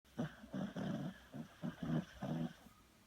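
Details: Beagle dog deeply asleep indoors, snoring very loudly: low rough rumbling snores in a steady rhythm, about six snorts over three seconds, each a short buzzy burst separated by brief quiet breaths.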